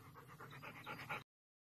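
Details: Panting German Shepherd, a protective family dog with a newborn baby in the home: quick, soft, breathy huffs repeated about eight times a second for just over a second, then cut to silence.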